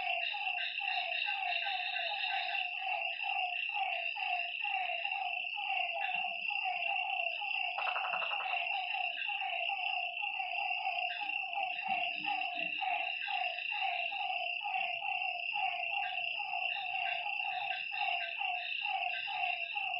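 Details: Dense frog chorus on a lakeside at night, many short honking notes packed closely in fast succession, a brief buzzing burst near the middle, all over a strong steady high insect whine.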